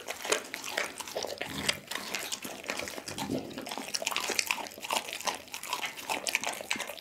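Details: Doggy, a pit bull, eating a whole raw chicken indoors, filmed on an Insta360 ONE R camera: a dense run of wet crunching and tearing, with sharp bone cracks and smacking bites one after another for the whole stretch.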